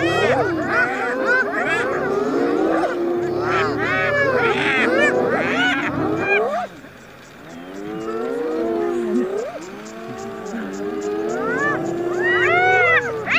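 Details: In a food fight with a lion, spotted hyenas utter rapid arched, honking cries in a loud crowded burst, then a quieter pause, followed by drawn-out sliding calls building again toward the end.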